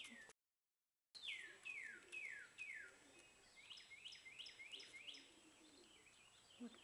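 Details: Squeaking baby squirrels at feeding: a row of loud downward-sweeping chirps, then a quicker, softer run of shorter squeaks, roughly two per second.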